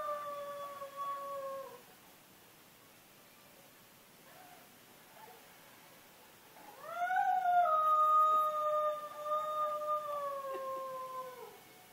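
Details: Gamble, a dog, howls twice: a short steady tone that breaks off, then after a quiet pause a longer howl that swoops up and holds a level, slightly wavering pitch before sliding down at the end. The background is quiet.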